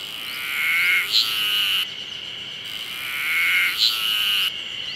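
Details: Terpnosia nigricosta cicada singing at the start of summer: a loud, shrill, tonal phrase that swells and then breaks off, repeated about every two and a half seconds with short gaps.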